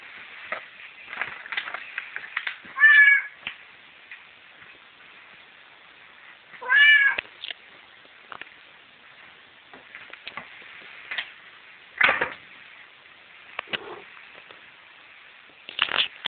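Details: Tidge, a pet cat, gives short meows about every four seconds, two of them louder with rising-falling tones, separated by quieter rustles and small sounds in an indoor setting.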